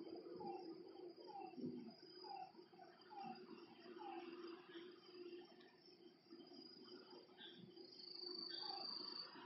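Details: Night frog chorus at a lakeside: a series of short, slightly rising croaks spaced about half a second apart, then looser scattered notes, all under steady high-pitched insect trilling and a low constant hum.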